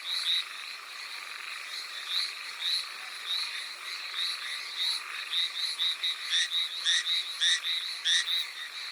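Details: On Amami Oshima, Japan, Hallowell's tree frogs call in the rain, giving high, nasal notes nearly twice per second, with a quicker burst of loud sharp pulses near the end, against continuous rainfall hiss.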